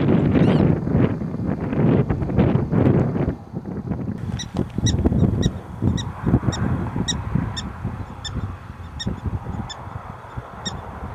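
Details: From a small prairie dog town in eastern Montana, August 21, 2007: loud low buffeting noise at first, then a run of quick, high, yipping chirps repeated roughly twice per second.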